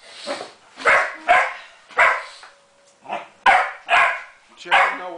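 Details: Jenny, a pet Springer Spaniel, barks at a copper pot that won't give her ball back: about seven sharp, bright barks in quick bursts, with a person calling her name between them.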